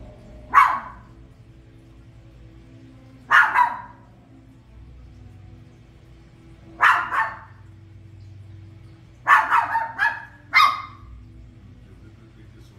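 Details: Barks from a toy poodle reacting to The Lion King on screen, loud yapping calls every three seconds or so, then a quick cluster of three near the end, with quiet film audio and steady low hum beneath.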